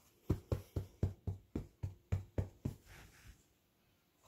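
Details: About a dozen rapid low knocks, roughly four per second, fade out in a quiet indoor room, with no animal voice.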